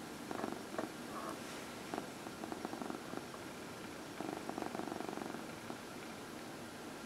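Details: Dinah, a 14-year-old former shelter cat enjoying her regular early evening massage, produces a rhythmic rumbling purr in breathy bursts about every second, with brief quiet gaps between swells.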